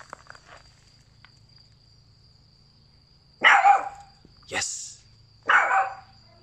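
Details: Boston Terrier puppy learning to bark when told to speak: after a quiet stretch with faint talk at the start, three short, sharp barks come about a second apart over a steady high background tone.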